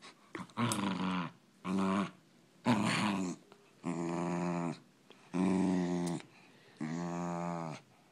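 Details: Poodle fight with sustained, tonal growls: six drawn-out rumbling snarls of about a second each, evenly spaced with short gaps, some rough and breathy, others smoother and more voiced.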